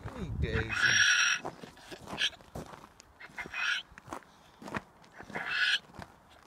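A donkey brays in harsh, honking bursts that repeat every couple of seconds.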